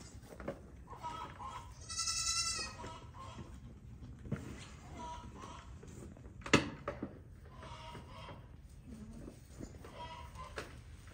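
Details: Newborn pygmy goat kids joining the herd on a Tennessee farm; a single strong, high, shaky bleat near the start, then scattered soft calls, clicks and knocks in a noisy barn setting.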